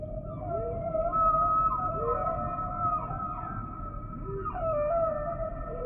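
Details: Humpback whale song: a series of wavering mid-pitched moans and short upswept whoops over a steady tonal drone, with soft hiss beneath and no other animals.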